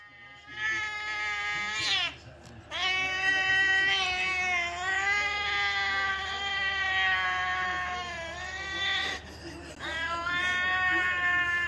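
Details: Angry, aggressive domestic cat giving long, drawn-out, wailing yowls with a slow rising and falling pitch, held for several seconds at a time and broken by brief pauses, with faint human voices.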